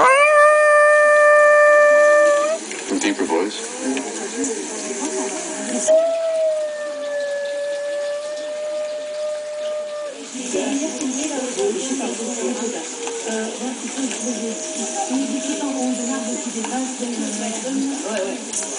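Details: Chihuahua named Bambi howling indoors in response to lemur calls played on a laptop. Long, steady, tonal howls: a loud one at the start lasting over two seconds, a longer one mid-clip, then a softer one later, over the lemur recording and background hiss.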